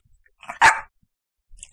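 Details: Dog barking in an evening recording to ask for more dried lamb sausage treats after eating some; a single short, sharp bark, with a few faint rustles before and after.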